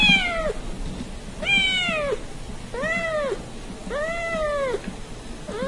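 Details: Little kitten from a cute cat compilation meowing insistently, five arched meows about one and a quarter seconds apart, each rising and dropping in pitch, over a noisy indoor background.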